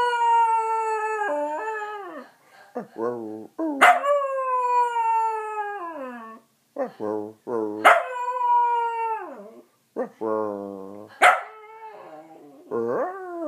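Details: Dachshund named Oliver, described as singing like an opera singer, howls in long tonal notes that slide downward, repeated about every four seconds, with short yips and sharp accents between phrases.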